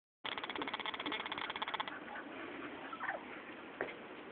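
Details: Cocker spaniel puppies, three and a half weeks old, playing: a rapid, pulsed squeaky whine lasts about one and a half seconds, followed by a few short rising and falling squeaks over a background of scuffling and scratching.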